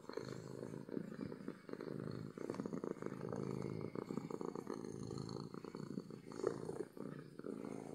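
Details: A happy domestic cat (Felis catus) purrs loudly and steadily, a low, rapid rumbling hum expressing contentment; cat purr.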